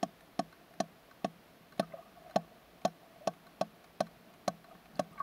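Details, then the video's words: A female sperm whale gives sharp, dry clicks about twice each second, calling to a smaller whale while spinning to echolocate; the clicks of her social unit sound faintly from the depths. "How a Sperm Whale DMs a Friend"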